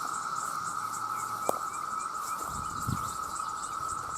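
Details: Massed male cicadas call to attract mates, millions strong and loud enough to harm hearing: a steady unbroken drone, with a fainter pulsing shimmer high above and a brief click midway.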